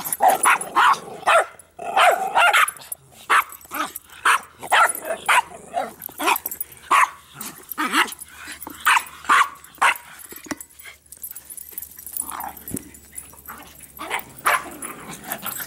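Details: Three dogs named Bix, Banjo and Button bark excitedly while playing with a Jolly Ball: quick, punchy barks, roughly two a second, some paired, easing off briefly near ten seconds before starting up again.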